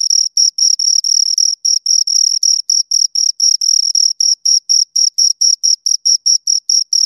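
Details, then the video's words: High, rhythmic chirping from two crickets, recorded close: rapid scraping pulses roughly four a second, a few merging into longer bursts early on, then settling into a steady beat, with no background noise. "Two Crickets Chirp Sounds"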